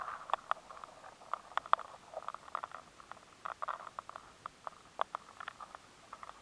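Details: Rice weevil larvae gnawing inside grains of rice, a scatter of dry, irregular ticks and scratchy clicks; the larvae find it harder to scrape the grain, changing the sound, in a high-sensitivity stored-product recording.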